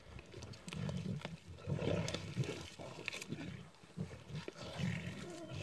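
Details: Pride of six lions tearing apart a warthog caught minutes earlier, in the morning on Kwandwe Private Game Reserve, Eastern Cape, South Africa. Low, rough growls rise and fall continuously, with scattered clicks and crunching sounds, phone recording.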